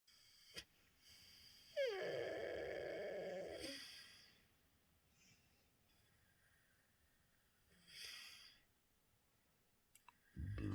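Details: Koda, a dog jokingly called a demon dog, making what is dubbed snoring: one drawn-out, rasping, growly groan lasting about two seconds, then near-silence broken by a fainter breathy rasp, with a loud knock at the end.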